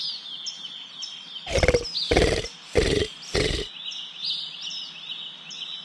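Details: Komodo dragon, the monitor lizard of the Indonesian islands of Komodo, Rinca, Flores and Gili Motang, giving four harsh, breathy bursts in quick succession, each under half a second, while small birds chirp steadily in the background.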